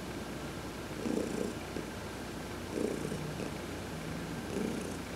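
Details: A pet cat named Heidi purrs contentedly under a massage while sunbathing, November 2020; low rumble pulsing in breathy waves close to two seconds apart.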